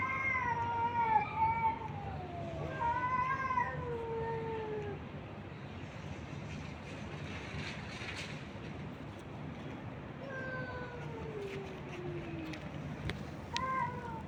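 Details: Street kittens and stray cats fed by a man, a cluster of drawn-out descending meows early, a quiet gap with rustling and clicks, then more falling meows near the end, over low background noise.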